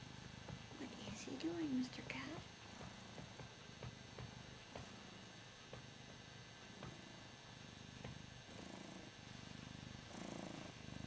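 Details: Ragdoll cat, a male, purring contentedly while being adored; a woman's brief speech at the start, then a steady low pulsing purr with rhythmic breathing swells.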